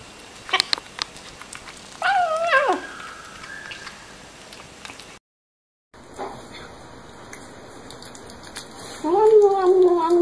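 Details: Cat or kitten crying out mid-meal: a few clicks, then a bent, wavering meow that tails off flat; after an abrupt cut, a faint hum and a final steady meow ending the passage.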